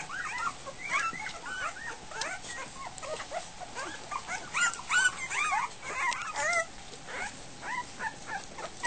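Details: Goldendoodle puppies just over a week old at feeding time, a litter jostling toward their food; many overlapping high whimpers and squeals, wavering and rising-falling, rapid and continuous.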